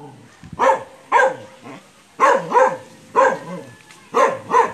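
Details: Belgian Malinois barking while playing with another dog, an aspin (Philippine native mongrel). Six short, gruff barks come in loose pairs about half a second to a second apart, with a dip in pitch on each.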